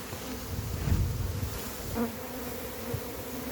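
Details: Honey bees from a massive wild hive during capture, their dense humming buzz steady throughout, with deep thumping rumbles near the start and a sharper swell in the middle.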